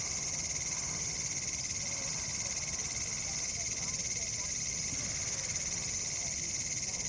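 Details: Cicadas in a bamboo forest in India in October 2019, calling on a cool evening or night, drone in a steady, shrill, unbroken buzz with a high hiss layered over a lower whine.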